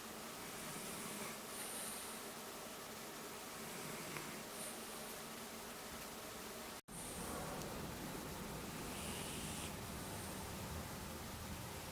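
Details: Steady broadband hiss fills the recording with a brief dropout near the middle and no animal sound.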